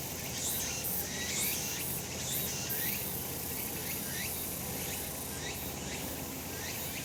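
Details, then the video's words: Summer mountain cicadas in full sun, a thick shimmering drone high in pitch with quick upward-sliding notes recurring roughly every second and a soft low hum beneath. "セミの鳴き声 夏の山 日なた"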